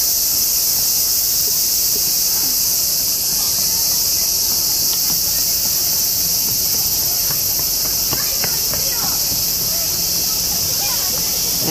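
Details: A continuous wall of shrill, hissing buzz from cicadas surrounding the recordist in Japan, where they sing loudly around 4 am. The drone holds steady throughout, with faint clicks and a person talking underneath.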